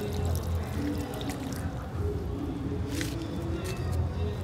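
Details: Soft background music with low humming tones, mixed with pouring and trickling water and a few splashes, and no animal sound.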